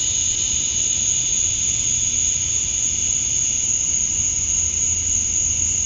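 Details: Cicadas at summer dusk in Georgia, USA, males chirping for females: a constant high-pitched electric-sounding drone and a lower buzzing layer. It is steady for the whole stretch, over a faint background rumble.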